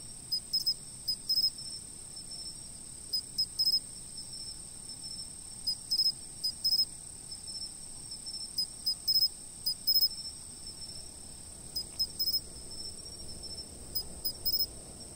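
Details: Insect chorus captured by a fixed camera: a constant, piercing high-pitched trill runs without pause, broken by short bursts of higher chirps every second or two.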